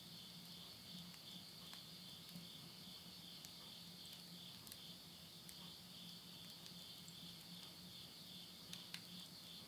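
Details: Midnight insect voices in rural Yurihama, Tottori, Japan, at summer's end in September 2020. An unbroken high-pitched trilling drone holds steady from start to finish, with only faint scattered ticks of burning wood in a stove and one small pop near the end.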